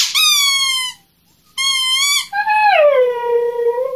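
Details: Siberian Husky reacting to her squeaky toy with crying; two shrill toy squeaks are followed by one long, lower whine that slides downward and then levels off.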